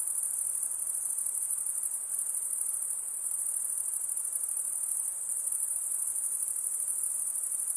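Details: High-pitched insect chorus: one sustained shrill ringing tone with gentle swells in loudness, over a faint background hiss.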